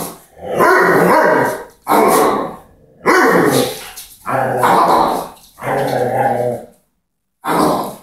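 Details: Doberman wrestling over a ball with a person during play: a steady series of harsh, throaty growl-barks, each lasting about a second, coming in close succession with one short silence near the end.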